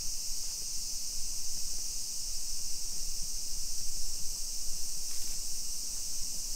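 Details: Summer cicadas in a suburban Nisshin neighborhood near Nagoya, Aichi Prefecture, Japan, at 2 PM on 28 July 2021: a steady, high, hissing drone that never pauses, over faint low street rumble.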